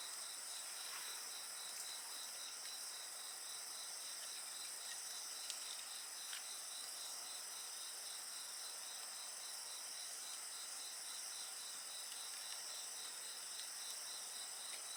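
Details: Night insect chorus with a campfire, a continuous high-pitched ringing and evenly pulsed trilling chirps repeating throughout, joined by occasional soft pops from the fire.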